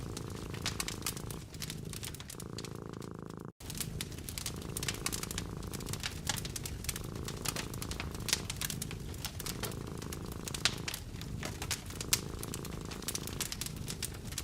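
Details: Cat curled up next to a crackling fireplace, eyes closed and content, purring steadily: a low continuous rumble swelling and fading with each breath about every second and a half, overlaid by dense sharp crackles and pops of burning logs.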